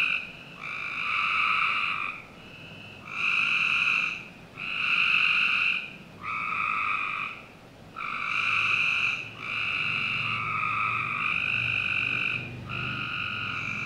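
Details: Backyard frogs in Northern Virginia on a summer night give rasping, pulsed trills of one to one and a half seconds, coming about every two seconds, sometimes running together near the end, over low ambient hum.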